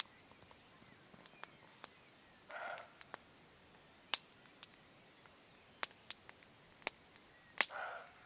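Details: Two hoarse barks from a far-off roe deer, about five seconds apart, heard on an evening beside a crackling campfire whose sharp snaps dominate the foreground.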